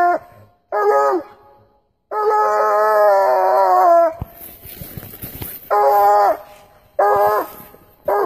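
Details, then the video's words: Coonhound giving loud, wavering harmonic howls: two short bursts, a sustained two-second howl, a noisy rustling gap, then three more short howls. "Loudest Coonhound Ever?"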